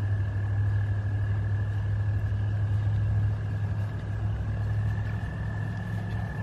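An American toad gives a long, steady, high musical trill to attract mates.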